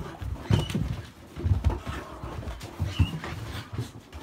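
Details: Akita puppy named Jun, 72 days old, restless indoors before bed; soft panting and snuffling with two short high whines, one near the start and one past the middle, over low thumping and shuffling noises.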